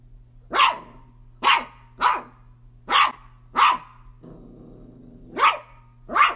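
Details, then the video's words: Playful miniature dachshund barking in sharp, bright bursts, seven barks spaced roughly every second with a brief pause before the last two, over a steady low hum. "Funny Miniature Dachshund NONSTOP playful Instagram Videos compilation"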